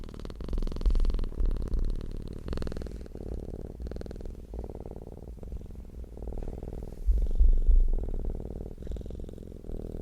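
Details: Deep purring of a contented cat, a continuous low humming rumble in quick rhythmic pulses that swells and eases in waves, growing louder again around the seventh second.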